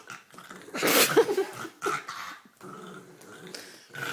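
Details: Olive, a pet dog playing with her green toy, snorting and gurgling with throaty rumbling growls; a loud rough burst near the start, then quieter grumbling.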